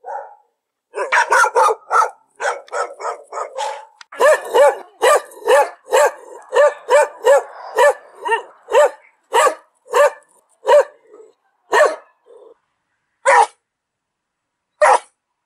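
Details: Dog barking continuously, a fast volley of sharp barks slowing into evenly spaced single barks about every half second, then spaced-out final barks over several seconds.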